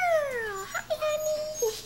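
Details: Tiny red toy poodle pup, only three weeks old and from a litter of Praline's, gives a drawn-out whine that slides downward and then holds level with a quick squeak, as a person coos close by.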